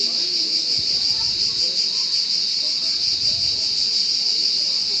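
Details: Cricket chirping as a continuous high, dense trill that runs steadily through the whole recording with no pauses, with faint low background rumble beneath.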